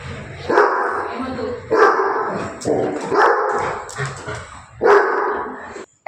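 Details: Labrador Retriever barking indoors in loud, sharp bursts roughly once a second, four or five barks in a row, while people speak Telugu close by, telling someone to go upstairs.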